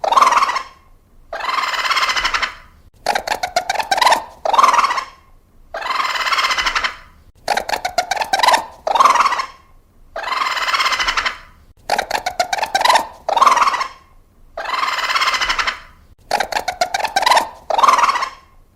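A raccoon gives harsh, breathy calls broken by fast rattling churrs, repeating every few seconds.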